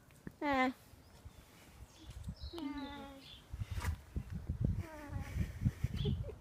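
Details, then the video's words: A needy baby alpaca at an alpaca farm in Uckfield gives short, nasal, humming whines, each sliding slightly downward, over rumbling background noise. "Needy baby Alpaca makes noises! CUTE!"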